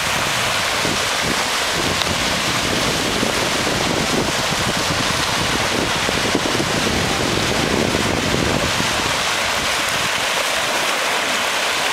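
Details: Waves and surf roar steadily on a sunny July beach, with wind buffeting the microphone throughout.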